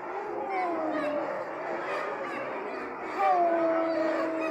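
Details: A group of sled dogs howls at a kennel: long drawn-out wavering tones, some sliding gently downward, layered over one another, with a loud fresh howl entering after about three seconds.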